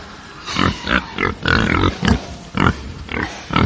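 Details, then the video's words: Angry farm pigs give a rapid series of about eight harsh, rasping squeal-grunts, each short and loud, with brief pauses between and a low murmur of other pigs behind. "atmosphere of a farm with angry pigs"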